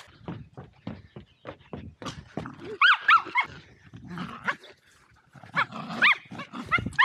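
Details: At Torgo Talu farm in Estonia, Welsh Terriers Zorro and Zula at play give sharp, rising squealed yips in short runs, mixed with rapid pattering, rustling and soft huffs; recorded with an Insta360 Go2.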